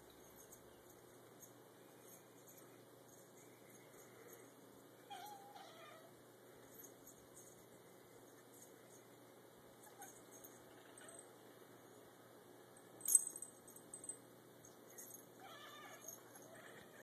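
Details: Two pet cats, Charlie and Grrdezi, chattering at a feather toy indoors: quiet, sparse, short chirping calls and brief bursts of rapid clicking ticks, with one sharp louder burst midway, against a low room hum.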